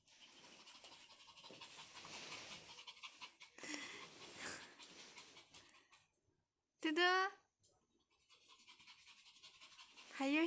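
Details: Pomeranian named Dudu, pet indoors, wanting to play with a new toy but scared of it: rapid breathy panting for several seconds under a woman's coaxing voice, then a brief rising whistle-like sweep and more soft panting.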